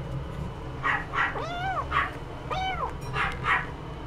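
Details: Somali cat meowing: two drawn-out, arching meows that rise then fall, each about half a second long, with shorter soft calls around them and a steady low hum underneath.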